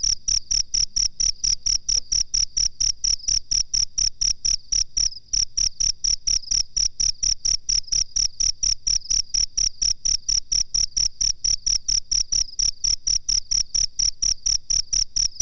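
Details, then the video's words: A cricket on a bird-training master recording gives a long unbroken run of shrill, evenly spaced chirps, about three per second, steady in pitch and volume. "suara jangkrik masteran terbaru"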